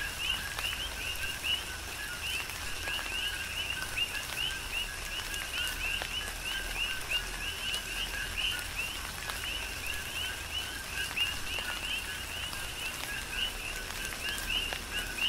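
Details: Several coqui frogs calling together in rain on the Big Island, Hawaii: bright, rising two-note chirps overlap in a continuous rhythmic chorus, set against constant rainfall and occasional louder drops.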